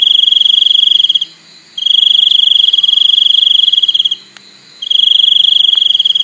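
A cricket gives a loud, high-pitched trill, sustained for a few seconds at a time. Short silent gaps break up the continuous shrill chirping.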